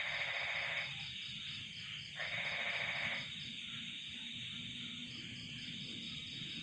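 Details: On a cold night, crickets keep up a steady high, pulsing trill while frogs add two bursts of harsh, rattling croaks.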